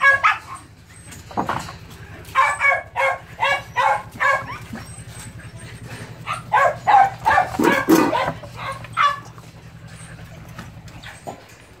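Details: Phu Quoc Ridgeback puppy at a Saigon kennel, in rat-catching practice, yaps in rapid excited runs, building to a dense flurry before falling quiet near the end, with a steady low drone beneath.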